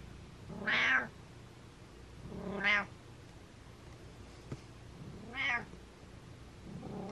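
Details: Butters, a pet cat, gives rapid-fire meows: four loud, nasal, harmonic meows roughly two seconds apart, with a faint click between them in a quiet room.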